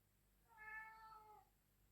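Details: Pet cat meowing in the background of a quiet indoor room, a single soft, level meow close to a second long, with a faint low hum throughout.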